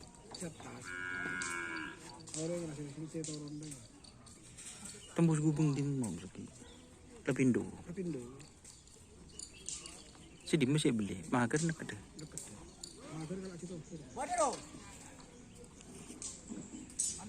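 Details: Cattle at a karapan sapi bull-racing training session with the Kalajengking, Griduh Onggu and Baong 99 teams. Several low, drawn-out harmonic moos sound near five, seven, eleven and fourteen seconds, with scattered clatter and knocks between them.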